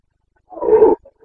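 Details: Single short, rough bellow of a Carpathian red deer stag in the Bucovina rut, breeding season 2022, with a faint grunt trailing after it.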